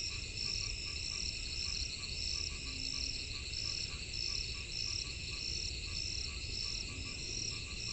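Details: In the rainy season, frogs call in a chorus of short, repeated croaks over a steady high insect hum.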